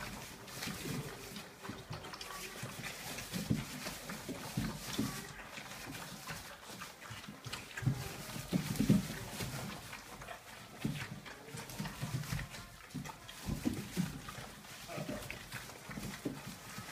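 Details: 34-day-old Dobermann puppies grunt and snuffle in low, irregular bursts, with a few soft squeaks.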